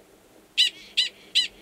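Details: A male Gunnison's prairie dog in Valles Caldera National Preserve, New Mexico, in March 2017, gives sharp, shrill chirps about every half second. It is a mating call, identical to the alarm call, given near a burrow holding an estrous female.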